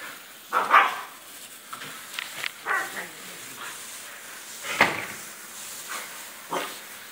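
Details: Pet dog yelping in reaction to splashing water, with an older relative in the background; several short sharp cries come in bursts at irregular intervals, mixed with faint splashing noises.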